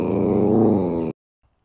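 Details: Sausage dog (Dachshund) at play, urged to "speak" again, gives a steady, rough, low harmonic growl-howl of just over a second that stops abruptly into near silence.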